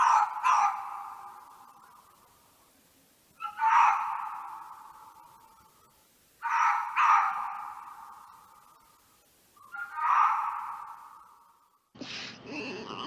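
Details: Red fox (Vulpes vulpes) barking in short single and double yaps spaced about three seconds apart, each ringing out with a fading echo, followed by a brief burst of unrelated noise at the end.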